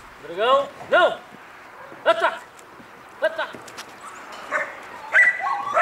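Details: Three-year-old Belgian Malinois with some guard training, barking in deep, arched bursts: two quick barks, then single barks spaced about a second apart, with fainter voices and noises between.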